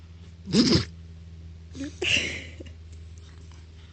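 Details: French Bulldog puppy sneezing indoors: two sharp, breathy bursts about one and a half seconds apart, the second longer and snuffly, over a steady low hum.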